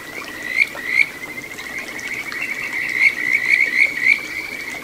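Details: Kajika frog singing in a small satoyama stream in Ichihara, Chiba, Japan, June 9, 2022: clear whistled notes near one steady pitch, several sharp rising chirps in a loose series over a soft background of flowing water.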